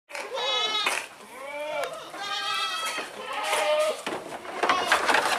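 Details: Hungry goat eating greedily, giving a run of four wavering, nasal bleats, each under a second long with rich stacked overtones, separated by short pauses, over rustling and chewing noise.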